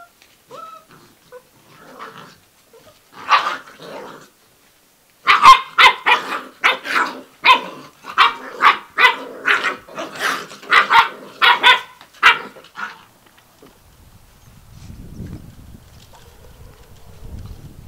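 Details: Six-week-old Gordon Setter puppies romping indoors in a living room. After a few soft grunts, a rapid run of sharp, high yappy barks lasts about eight seconds, with gruff growly edges. Low rumbling handling noise follows at the end.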